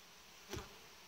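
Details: Honey bee colony in a hive kept on a warm-bed frame arrangement by a Romanian beekeeper; steady broadband buzzing hum with a brief sharp knock midway through the short stretch.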